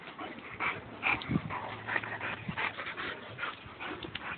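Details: Two dogs, a Boxer and a Labrador, mud wrestling together; quick high whines and yips break out in rapid uneven bursts, one louder cry near the middle, over steady low background noise.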